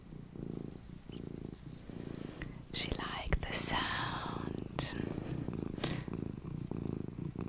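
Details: Small domestic cat purring indoors during a calm relaxation session, a low pulsing rumble running under soft whispered speech and some rustling.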